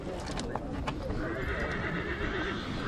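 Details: Horse in Rădăuți, Suceava, Romania, with a drawn-out, fairly even whinny tone lasting over a second, set against low rumbling background, hoof clops and voices.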